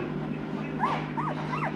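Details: Two-week-old Noble Asian Bear puppies, a hybrid of Asian Bear Dog and Caucasian Ovcharka with Tibetan Mastiff and American Akita ancestry; three short high whining yelps, each rising then falling, over a steady low hum and faint music.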